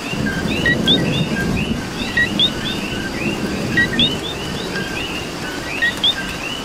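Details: Coqui frogs calling in rain in Puerto Rico, a crowded chorus of quick rising two-note chirps over a soft wash of falling rain and a low rumble.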